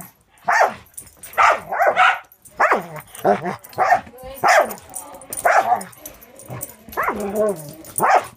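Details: Angel, a six-month-old Border Collie mix with Wisconsin Border Collie Rescue, plays with Cisco; yelping barks and growly, whiny play noises repeat every half second to second, some with trailing grumbles.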